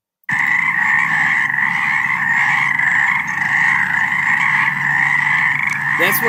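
A dense frog chorus, many voices merging into a steady, droning trill.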